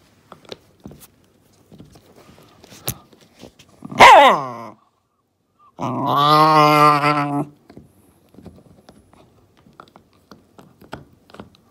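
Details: Shiba Inu Momisan, a female aged 2 years 7 months, playing indoors with a deer antler and acting like a wild beast: a sharp sweeping yelp, then a sustained throaty growl of about a second and a half, with soft clicks and thumps around it.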